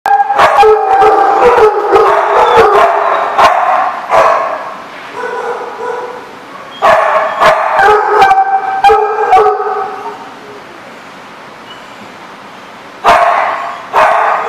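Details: Dogs at a kennel lot recorded on 25 July 2014; drawn-out harmonic howling voices overlap, broken by sharp barks and clicks, fading to quiet before barking resumes near the end.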